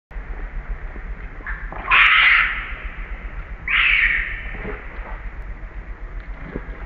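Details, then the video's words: ['Hungry young monkey named Ariana crying for milk: two loud, harsh, rising-falling squawking cries about two seconds apart, each lasting roughly half a second, over a steady low hum with faint background noise.'] "Lovely monkey Ariana is very hungry and crying for milk"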